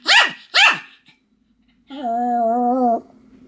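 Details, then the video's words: Continuous barking from Sam, a Pomeranian: two sharp high barks, a pause, then a single steady whining yelp held about a second. "犬の鳴き声 ポメラニアン サムの連続吠え"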